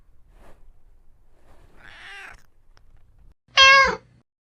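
A domestic cat gives a soft, muffled mew, then one loud, clear meow that falls at the end.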